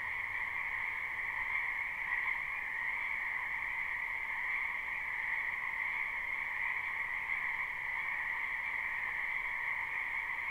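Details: Spring frogs croaking en masse in a wetland, recorded live with no looping. An unbroken, high trilling chorus runs at an even level for the full length, with a faint low hum briefly underneath at the start.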